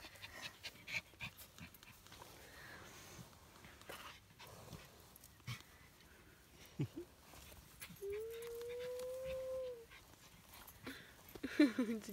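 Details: Norwich Terrier puppy, one of three aged four weeks, recorded at Mouchnice on 25 August 2018; after scattered clicks and rustles, a drawn-out tonal whine lasts about two seconds, rising slightly then falling, followed by a shorter squeaky whimper.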